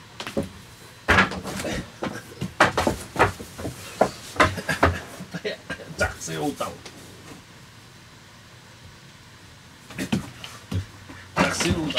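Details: Indoor speech in a small room, bursts of talking separated by a quiet pause, with wooden knocks like a cupboard door; no animal voice.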